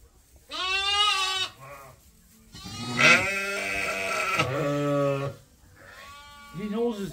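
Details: Farm sheep waiting to be fed during daily chores: several wavering harmonic bleats of varied length, some overlapping, with a quieter low bleat at the end and faint speech in the background.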